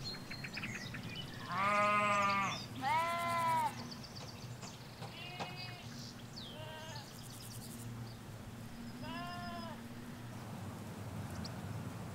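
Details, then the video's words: Ewes and lambs in a field in the Hampshire countryside, captured in stereo near a hedge: a run of harsh wavering bleats, two loud close ones then shorter fainter ones, with soft bird chirps and low background rumble. "Sheep Field - One Hour Sound and Video"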